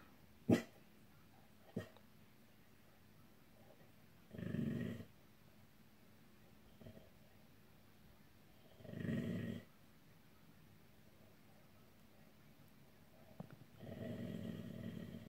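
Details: Indoor dog growling at an angel figure on the wall. Three low, rumbling growls, each about a second long, come at roughly four-to-five-second intervals, with a couple of sharp clicks early on in an otherwise quiet room.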